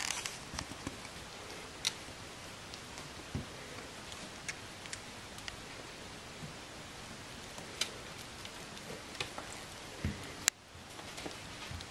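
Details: Quiet room hiss with scattered soft taps and rustles, and one sharp click near the end.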